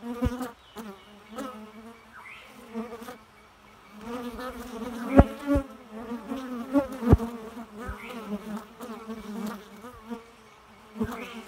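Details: Bee droning in a continuous buzzing hum whose pitch wavers up and down as it moves about, with scattered sharp taps and clicks throughout.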